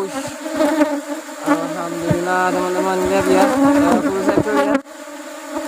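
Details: Honey harvest from an Apis cerana colony while rubber trees bloom: a dense, even buzzing hum of massed bees, overlaid by a close bee's rising and falling whine, ending in a sudden knock and a quieter drone.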